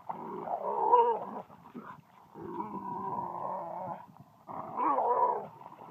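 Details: Kaido, a dog at a dog park eager to play and be chased, gives drawn-out growling, whining vocalisations in three bursts, with short pauses between them.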